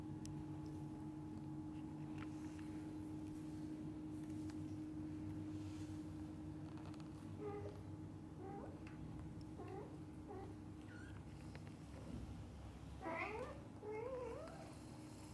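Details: Kittens with their mother cat and the attentive dad cat nearby; after a quiet start, a run of short, rising mews, then louder wavering high-pitched cries near the end, over a low steady hum.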